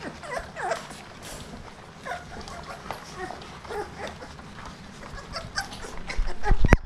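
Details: Rottweiler puppies give soft, high whimpers and squeaks during their first dry meal, with crunching and clattering from their food.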